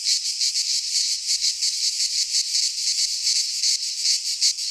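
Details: Greek pine forest cicadas in midsummer produce an unbroken, high sizzling drone, swelling and easing in fast regular throbs near three per second; a few soft low knocks sit far below.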